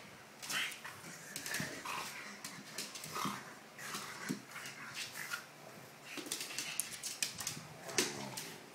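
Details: A pug scuffling with another dog called Lala indoors: rough, breathy snorts and huffing bursts in quick irregular clusters, with scrabbling and thumping noises between them.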